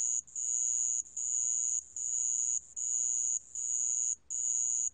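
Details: Sand cricket from a 2020 National Institute of Biological Resources recording in Korea: high, thin, steady trill in bursts of about three-quarters of a second, separated by brief pauses, nearly six phrases in five seconds, quiet background.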